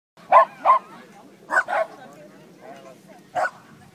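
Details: Dog barking at Beechgrove dog park in Banbridge: two short barks, a quick pair a second later, then one more bark near the end, with quiet murmur in the background.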